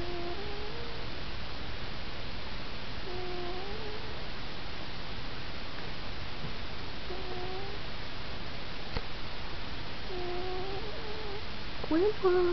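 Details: Domestic cat named Sqwuixbeaux snoring while asleep indoors: soft, low breathy snores recurring every three to four seconds under a steady hiss, with a brief sharper sound near the end as the cat stirs.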